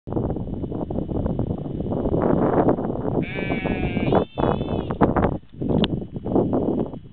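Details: Sheep giving a single wavering, nasal bleat of about one second midway through, set against steady rough rumbling and rustling noise that fills the whole recording.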